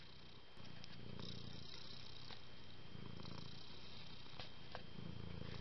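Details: A pet cat purrs steadily, a deep vibrating rumble that rises and falls in soft breathing cycles, with a few light clicks over a quiet hiss.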